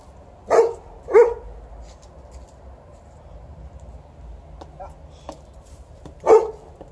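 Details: Liza, a female Alaskan Malamute, watching and playing by herself while a 12-year-old Golden Retriever plays fetch; two sharp barks in quick succession, a pause, then one more bark, with quiet background hum.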